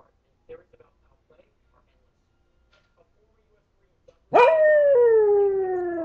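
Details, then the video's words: Pet dog howling when it thinks no one is around: after soft faint sounds, a loud howl bursts in and slowly slides downward in pitch, sustained for nearly two seconds. "Howling Dog"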